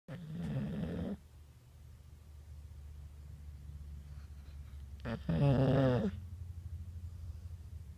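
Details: Sleeping, dreaming boxer dog: a raspy snore of about a second, a pause with low steady hum, then a louder grunting snore with a rising tonal whine, about four seconds after the first.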